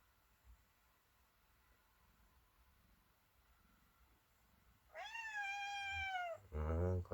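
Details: House cat meowing at home after a quiet stretch, one long clear meow that rises then slowly falls, followed at once by a louder, harsher second cry.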